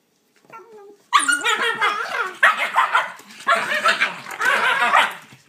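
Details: Shiba Inu puppies fighting over a toy indoors, a brief high whine followed by rough, harsh growling barks and snarls in four dense bursts, one puppy scolding another.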